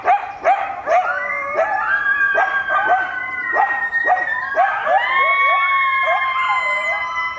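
A family of coyotes answers sirens with a chorus of sharp yips that rise into long, wavering howls.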